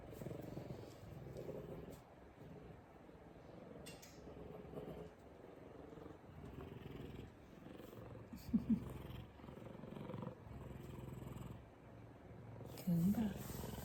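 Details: Big F2 Savannah cat, male, purring while giving loving headbutts; a long low, pulsing rumble rising and falling in waves over about fourteen seconds, with a couple of brief voice sounds and rustling.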